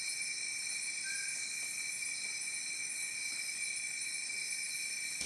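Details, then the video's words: Crickets trilling in the fields at about 8:30 at night beside a village homestay in Chhindwara district, Madhya Pradesh, amid otherwise quiet surroundings. Continuous shrill high-pitched ringing with rapid pulsing, no other sounds. "वो जो इंसेक्ट होता है जो खेतों में आवाज़ करता है, झींगा बोलते हैं जिसको, सिर्फ वही आवाज़ है।"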